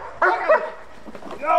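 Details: German Shepherd parent dogs barking during protection work training; one sharp, harmonic bark burst at the start and another at the end, with a trainer's voice between them.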